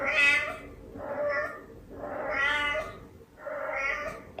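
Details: Domestic cat meowing indoors, four drawn-out harmonic meows roughly every 1.2 seconds, the first and third louder and higher, the others softer, with faint background music.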